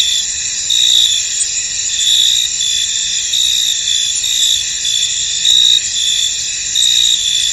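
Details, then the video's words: Crickets calling in a foggy field, a thick high-pitched ringing drone with intermittent louder chirps, slightly slower and less regular, under a second or so apart. "Tranquil Cricket Sounds In An Misty Field"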